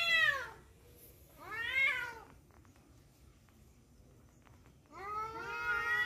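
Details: During a fight over a female, cats let out short descending yowls at the start and near two seconds, a quiet stretch with faint clicks, then a longer rising wail at the end.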